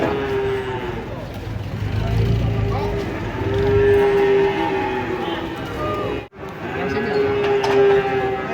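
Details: Cattle coming down off a truck, giving repeated long, level moos of two to three seconds each, separated by short pauses, with people chatting and shouting in the background.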